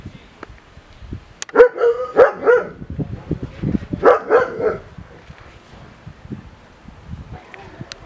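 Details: Male Caucasian shepherd dog barking in two bursts of three deep, rough barks each, separated by a short pause, with a sharp knock beforehand and faint background voices.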